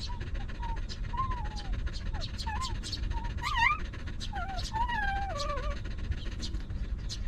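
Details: Stray dog family, a mother with her litter of puppies living in a rough place: thin, wavering high whines rise and fall in short bursts, some climbing sharply, over a steady low rumble with background voices.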